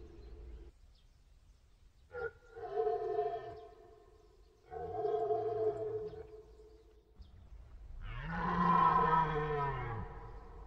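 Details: Deer bellows: a sharp onset, then two hoarse, arched moans, followed by a louder, longer, rising-and-falling groan near the end. Faint low background rumble throughout.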